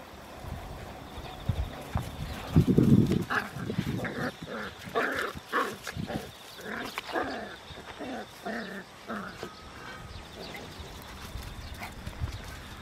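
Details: Two puppy brothers, a second and a smaller third son, play-fighting in a farm field; rapid series of short, tonal growling yaps, roughly three per second, in a busy middle stretch, with rustling and thumps from the scuffle.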